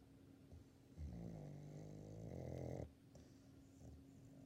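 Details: A 16-year-old female Labrador Retriever snoring while asleep: one long, rough, droning snore lasting nearly two seconds, then only soft, quiet breathing.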